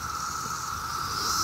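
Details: 17-year cicadas massed on a nice summer day in Maryland, calling in huge numbers: a steady, unbroken droning whine holds one pitch throughout, with a hissing shimmer layered above it and a faint low rumble underneath.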